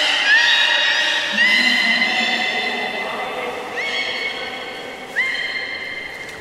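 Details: Captive belugas at Port of Nagoya Public Aquarium on 11 August 2018, during an unsuccessful attempt to swap Nana and Hodoi between pools: a series of tonal, harmonic whistles with sharply rising onsets, one continuous then new ones starting about every 1.3 seconds, over steady broadband water noise.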